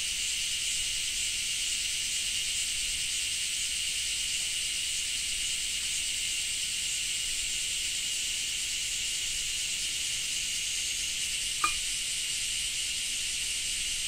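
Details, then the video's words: Japanese cicadas singing during rain: an unbroken, even, high-pitched sizzling drone lasting throughout, with a single sharp click near the end. "Japan Rain Sound 5of3 - Cicada 3"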